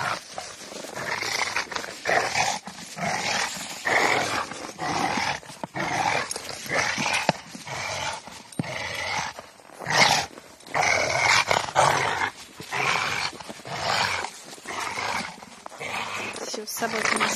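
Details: A Rottweiler at play with a tyre outdoors growls in rasping, harsh bursts about once a second, interrupted by short pauses and scuffling sounds.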